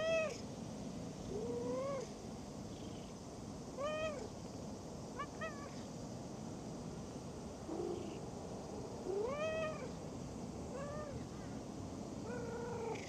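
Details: Stray cat met on a park walk, resting by a pond-side pavilion, gives a run of harmonic meows, some rising then falling, others short and chirpy, spaced every second or two over a steady low background hum.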